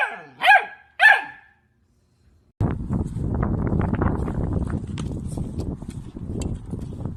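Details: Puppy gives two quick high barks about half a second apart, followed by a long stretch of loud, dense rustling and background noise.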